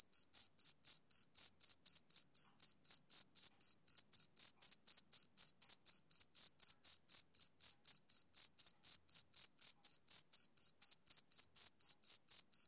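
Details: Rhythmic chirping of a male cricket on a summer evening, shrill pulses repeating evenly about four times a second with no other sounds.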